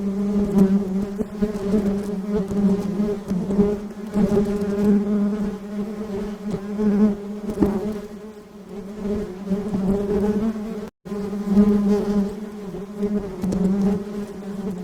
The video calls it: buzzing sound of bees